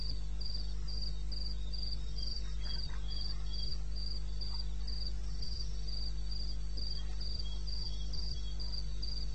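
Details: Wild crickets at night in eastern Botswana, May, 2:30 AM; a sharp high chirp repeats steadily about four times per second, joined by quieter lower chirps from another insect, with faint clicks and a continuous low hum.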